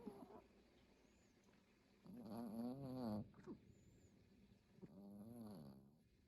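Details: Dog asleep and snoring, recorded 5-24-2022: two long buzzy, wavering snores a few seconds apart, with a soft squeak between them.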